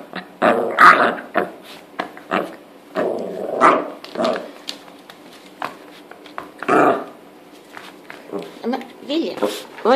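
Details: Pet dog indoors during a tug-of-war game over a toy, giving bursts of rough, rumbling growls at irregular intervals, likened to a two-stroke moped or a lawnmower, with a woman talking to it in Swedish throughout.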